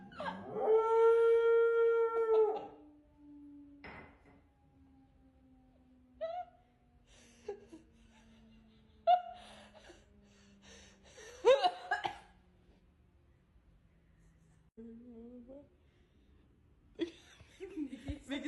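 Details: Pet dog howling: one loud, steady, harmonic howl in the first two and a half seconds, then a long faint sliding tone and scattered short whimpering and yipping notes with quiet gaps.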